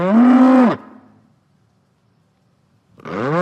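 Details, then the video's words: Bull, a male farm animal, giving a loud harmonic bellow that holds steady and then drops off sharply after under a second, followed by near silence and a second rising bellow beginning at the end. "the BULL SOUND"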